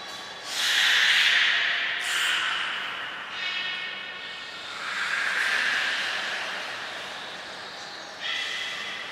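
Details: Belugas Hodoi, Gray, Nana and Niko during a training session at Port of Nagoya Public Aquarium on 5 June 2021. Several hissy, buzzing calls with banded harmonic tones rise and fade in turn, separated by short pauses over a steady background hiss.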